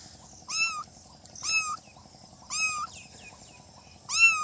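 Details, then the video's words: Cute newborn kittens give short, high-pitched meows, four evenly spaced cries roughly one per second, each thin and slightly rising then levelling, over a constant faint hiss. "Kitten meowing|kitten meowing sound effect|"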